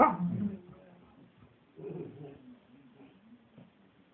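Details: A Shih Tzu, kept together with a bouvier, gives a sharp bark, then a softer yelp, with brief human laughter.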